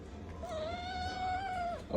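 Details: Cat giving a single drawn-out meow lasting about a second and a half, steady and slightly wavering in pitch with rich overtones, fading at the end; a person speaks to the cat just before and after.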